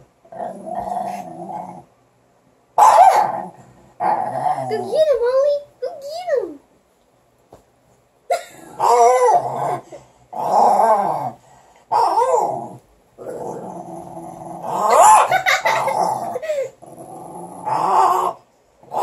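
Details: Playful Morkie pups tussling over a stick, giving repeated snarling growls and squeaky rising-falling whines in short bursts, with a person talking between them.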